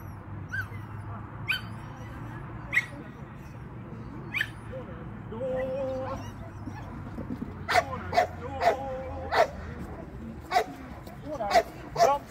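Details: Shetland Sheepdog during a training lesson, November 2022; a quiet start with scattered yips, then a run of sharp barks repeated about every second near the end, over a low steady hum.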